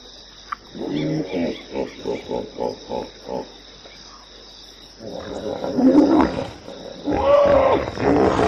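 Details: Hippopotamus giving a rhythmic string of about nine pulsed grunts, evenly spaced every third of a second, then a pause and a louder rising and falling honking bellow.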